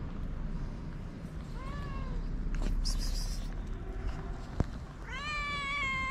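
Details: Hungry stray cats living on the street in Morocco: one fainter rising-falling meow early, then a strong, longer meow near the end, with steady low traffic-like background rumble and a sharp click between.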